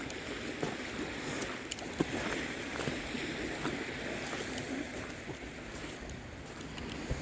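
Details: Steady outdoor wash of water and wind, with scattered knocks and splashes like wood or a boat hull bumping, and no animal voice.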